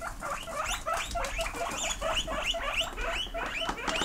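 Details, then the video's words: Several indoor pet pigs squeak back in reply when asked whether they want grass: a dense chorus of short, high, rising squeaks overlapping rapidly, with faint rustling beneath. "Who Wants Grass"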